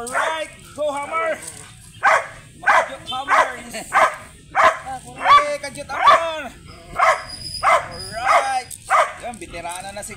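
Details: Grey sable Belgian Malinois at a stud service in Bisal, Manaoag, Pangasinan, barking in a steady run of short, harsh, harmonic barks about every half second, each rising then falling, with faint background voices.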